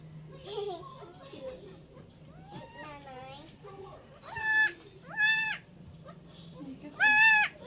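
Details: Newborn male goat kid, one of a pair receiving iron, B complex and liver extract shots; a person talks at first, then three loud bleats follow about a second apart, each nasal and wavering.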